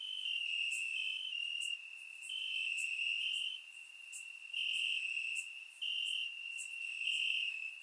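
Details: On a warm summer night in Bulgaria, crickets chirp from the grass, surround-recorded: a piercing steady trill punctuated by bright pulses, with the chorus fading softer in several stretches before rising again.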